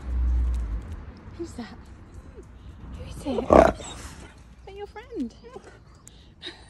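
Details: Husky named Key, happily greeting his friend Storm after over four months apart, lets out a loud rough shout followed by wavering, yodel-like rising and falling cries, with a low rumble and background noise.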